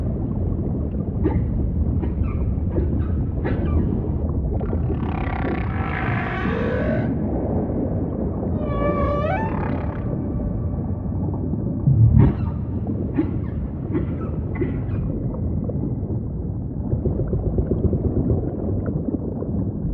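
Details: Humpback whale song against steady deep ocean rumble, mixing short scattered pulses, a broad noisy burst around five seconds, and a stacked harmonic upsweep near nine seconds, then more brief clicks and moans.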